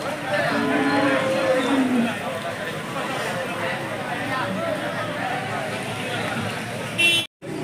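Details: Hallikar cattle at a cattle market disrupted by rain, 20 October 2025; a drawn-out moo with a falling tone stands out over steady rain noise and crowd murmur.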